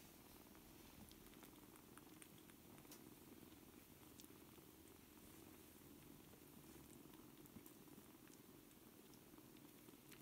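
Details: Four-week-old kittens, seven in a litter, learning to play with each other; a continuous soft low purring drone with light bubbling texture and sporadic tiny clicks of movement.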